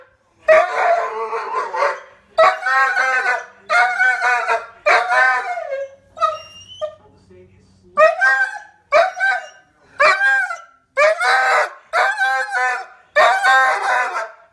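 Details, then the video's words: A female poodle repeatedly screams toward her deer friends. About ten strained, yelping howls come roughly every second, with a brief quieter pause midway. "Poodle screams for her deer friends"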